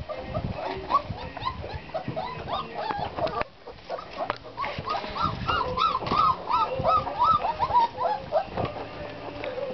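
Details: Black Russian Terrier puppies, 26 days old, from a ten-pup litter born 23 July 2013. Bursts of thin, rising and falling whimpers and squeals come in quick clusters, with a brief quiet gap and low human voices in the background.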